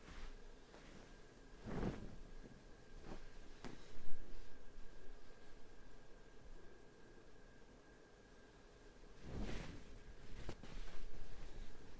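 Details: Quiet indoor room tone with soft rustling of bedding and a few dull bumps, no animal voice audible.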